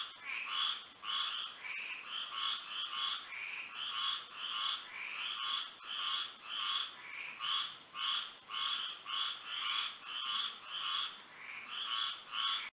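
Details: Frogs singing on a moonlit night in Florida: a dense chorus of short, nasal, buzzy croaks repeated rapidly and overlapping from several callers, over a steady high-pitched whine that runs without a break.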